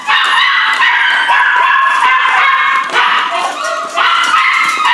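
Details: Corgi Airedale mix rescue pups yelping and whining almost nonstop, rapid high squeals blending together with faint human speech behind.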